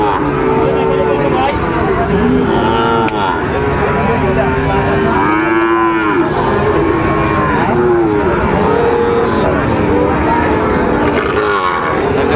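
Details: Sahiwal bull calves, about three months old, at a cattle market at Ambari market in Dinajpur, calling with long, loud, wavering moos that rise and fall, over constant crowd noise and bargaining voices.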